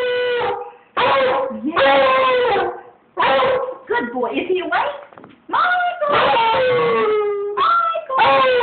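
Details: A male beagle howls as a morning wake-up call, in long, wavering bays that slide up and down with short breaks between.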